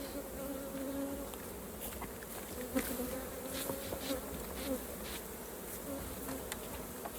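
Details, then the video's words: Swarming honey bees at the hive during honey harvesting produce an even, layered hum with wavering tonal bands, overlaid by intermittent sharp clicks and light knocks from frames being handled. "Harvesting Raw Honey for Beginners 🍯 | Hive, Bees & Pure Honey Tips"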